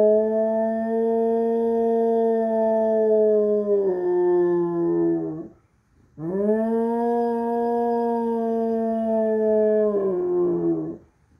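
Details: Airedale Terrier howling at sirens: two long, steady, mournful howls of about four to five seconds each, held at an even pitch and sagging lower at the end, separated by a short silence.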